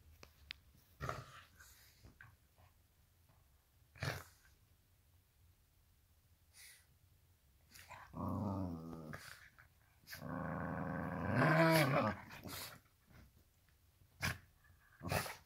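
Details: Two dogs, a black and tan Shiba Inu and a Chihuahua, play fighting on a donut bed indoors; two sustained, rumbling, throaty growls, the second longer and louder, between scattered thumps and clicks of movement.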